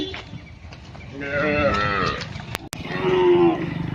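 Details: A calf in an Indian village gives two drawn-out, fairly high-pitched moos, the first bending upward and the second steady and nasal. Cow (calf).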